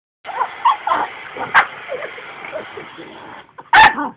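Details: Pet dog that dislikes the vacuum cleaner, giving short yelping barks and whines over a steady background whir, with one sharp bark near the middle and a louder bark at the end.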